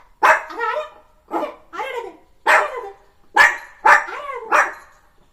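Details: Pet puppy at home in the morning, barking in a run of seven short, rough, noisy yaps spread over about five seconds, some coming in quick pairs, with quiet gaps between them.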